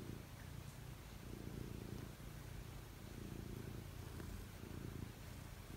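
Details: Cat preparing to sleep, purring close by: a low, throaty rumble pulsing in steady waves with each inhale and exhale, in a quiet room.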